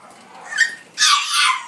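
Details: Female French Bulldog puppy born on 14 July, sturdily built, giving a short high yip followed by a longer, broad, harsh bark indoors.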